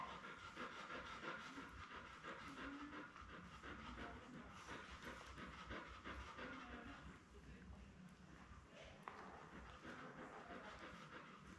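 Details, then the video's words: Labrador Retriever on a live puppy cam with Belle, the mother, and her seven newborn puppies born May 24, 2021. Fast, steady breathy panting runs through the whole stretch over a low indoor hum. "Lab Puppies LIVE STREAM Puppy Cam"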